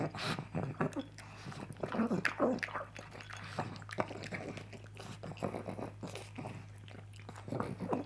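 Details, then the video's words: Coco the pug chewing sausage for breakfast: crunchy bites and moist lip-smacking, a few brief squeaky snorts near the middle, irregular rhythm, steady low hum in the background indoors. "The Weird Sounds a Pug Makes While Eating."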